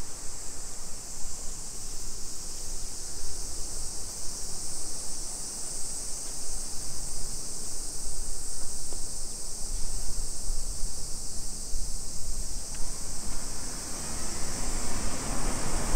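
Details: Summer cicadas singing at 2 PM on 28 July 2021 in a suburban neighbourhood of Nisshin city, near Nagoya, Aichi Prefecture, Japan: a steady, dense high hiss that never pauses, over a low rumble of traffic and street noise.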